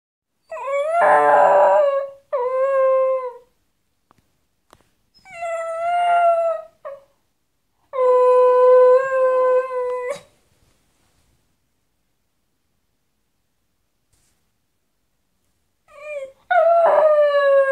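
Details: Pet dog howling as its best doggie friend leaves the house: four bouts of long, wavering, harmonic-rich howls, some rising then sliding down, separated by quiet gaps of one to six seconds, with no other notable sounds.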